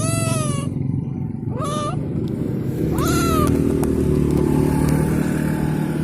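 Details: Abandoned stray cat on the street, still wanting to follow home. Three rising-and-falling meows, the last longest, spaced over the first three and a half seconds, above a steady motorcycle engine rumble and street noise.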